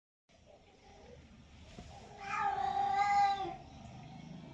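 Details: Domestic cat indoors giving a single drawn-out meow lasting about a second, rising then falling and tonal with rich harmonics, after a stretch of faint low background rumble.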